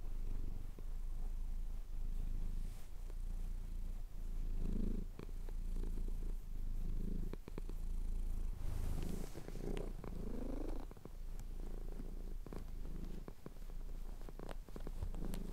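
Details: A male pet cat purring steadily while having his chin scratched, recorded at sunrise over the Cotswold hills on a Tascam DR-07X; a low continuous rumble with soft breathing cycles and occasional faint clicks.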